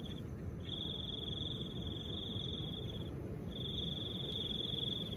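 A cricket trills steadily on one high pitch, in long unbroken runs over a soft wind.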